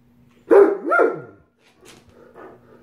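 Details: Rough play between two male Great Danes at home brings a hoarse double bark, a sharp burst followed by a longer, dropping bark-growl, then faint muffled scuffling and a low steady hum.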